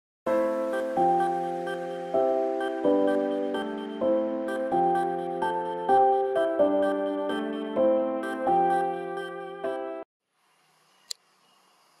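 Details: Ten seconds of gentle mallet-percussion music with repeated chiming notes, then near silence and a single faint click.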